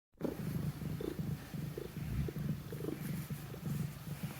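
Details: Pet cat purring while kneading beside another sleeping cat; a steady low rumbling purr pulses rhythmically about twice a second, with each breath cycle audible and no other sounds.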